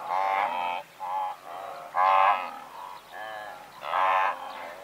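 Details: Nasal, buzzy grunting from a herd of several hundred blue wildebeest, heard from medium close up. Loud, harmonic honks come in clusters about a second apart, with quieter calls from other animals filling the gaps.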